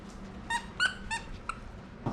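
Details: Basenji dog excited over new toys at home: four short, high, tonal yelping whines in quick succession within two seconds, against faint room noise.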